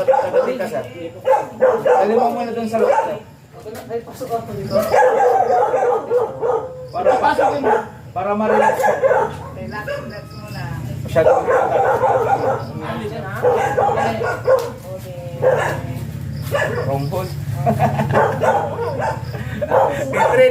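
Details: At a stud session with first-time Siberian Husky dam and sire, choppy, wavering whines and yips repeat rapidly over a steady low musical hum.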